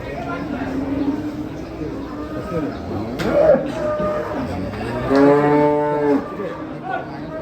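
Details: A fat cow's low, droning moo rises into a louder, sustained bellow about five seconds in, with softer lowing before it and faint chatter and clatter around.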